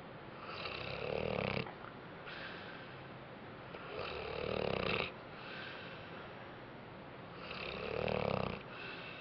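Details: A dog named Bentley napping after a rough day, snoring in slow, raspy breaths: three loud drawn-out inhalations with a buzzy, wheezy tone, separated by quieter breathing in a small indoor room.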